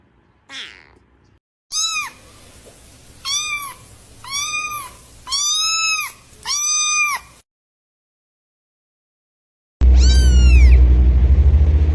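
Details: Kittens in a compilation of funny pet moments meow in a series of five clear, evenly spaced arched mews about a second apart, then a loud noisy passage with further high mewing.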